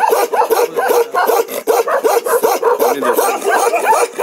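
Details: Bakarwal dog, an ancient livestock guardian breed of Jammu and Kashmir, giving a Ladakhi one-breath bark: a rapid, unbroken run of loud, clipped barks, roughly two to three per second, continuing without pause throughout.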